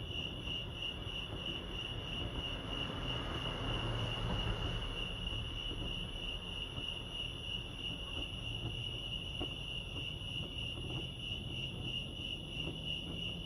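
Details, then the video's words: Chorus of crickets at Lake Arrowhead in California, a continuous high pulsed chirping without pause, layered over low rumbling background noise that swells briefly around the fourth second. "crickets chirping lake arrowhead"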